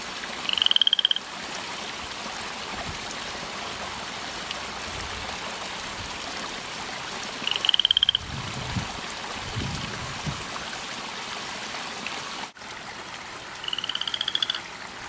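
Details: Frog calling at night in a home garden, heard from the house, croaking all night from evening until morning: short high pulsed trills spaced several seconds apart, each under a second, against constant broad background hiss.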